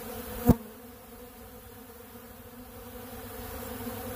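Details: Honeybees crowd a big blue pollen feeder, feeding on ultra bee pollen; their even, continuous hum of stacked low tones follows one sharp click near the start.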